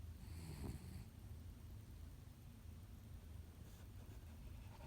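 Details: Lemon, a female white Japanese Spitz born in December 2017, sleeps belly-up and snores: soft, low rumbling breaths that run steadily through the whole stretch in a quiet room.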